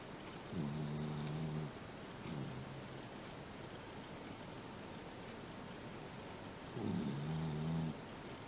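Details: Shiba Inu named Kyunosuke asleep on a bean-bag sofa, snoring within seconds of climbing on: low, buzzy, harmonic snores, a long one, a softer short one, then another long one about six seconds later, over a quiet indoor background hum.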